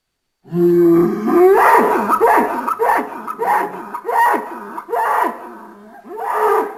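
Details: A bull's farm bellow starts as a low drawn-out note, then breaks into a rapid string of rough, wavering, rising-and-falling bellows repeated over several seconds.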